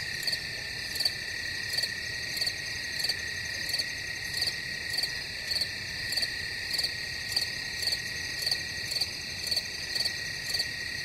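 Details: Crickets sustain a thin, piercing trill while crisp pulsed chirps recur at a steady pace of about two per second throughout, with no other noise.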